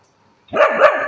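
A Siberian Husky grumbles in a brief, wavering, whiny voice that rises and falls twice.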